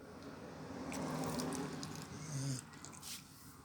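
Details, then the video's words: Beagle snoring: low nasal droning breaths that swell into a louder rattling snore near the middle, then trail off into soft snuffles indoors. "el ronquido de un beagle"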